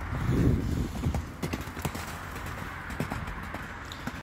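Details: Arabian horse hooves: irregular, sharp knocking clip-clops with no steady rhythm over a low rumble that is loudest in the first second.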